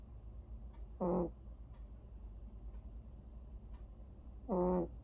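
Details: Vere, a domestic cat, snoring while asleep: two harmonic, nasal rasping breaths roughly three and a half seconds apart, with quiet low hum and faint ticks between them.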